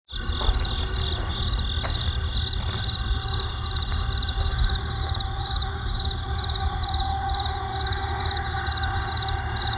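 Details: Crickets trill steadily in high, pulsing bands beside a forest, over a constant low rumble of road traffic.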